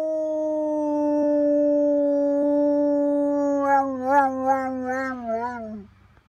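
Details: German Shepherd dog at Halloween 2016: a long, steady, tonal howl held for about four seconds, then breaking into a wavering, quavering ending that fades out near six seconds.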